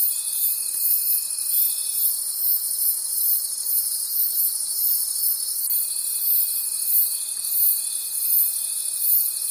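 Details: Crickets heard at night in the forest: a high, dense, pulsing chorus, with a steady thin tone that breaks off near two seconds and returns after about six.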